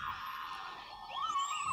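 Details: Likely a group of beluga whales passing an underwater recording site in the Arctic Ocean, giving squeaky, wavering whistles that rise and bend between higher tones.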